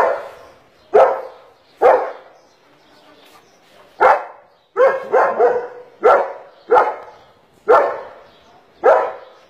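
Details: Black-faced, double-coated male German Shepherd barking repeatedly, about eight loud, sharp barks spaced roughly one second apart, some in quick doubled bursts, with little else heard between them.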